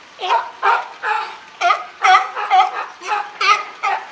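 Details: California sea lions, a group with boss Felix, at Higashiyama Zoo and Botanical Garden on 12 September 2023: hoarse, harmonic barks in quick succession, about two per second, each short and rough with a rising then falling tone.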